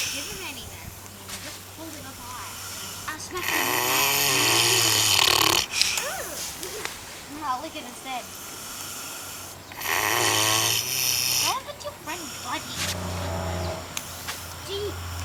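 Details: Farm pig in New Zealand snoring like a trooper: repeated loud, rough rasping breaths every few seconds, alternating with quieter stretches and people talking and laughing between them.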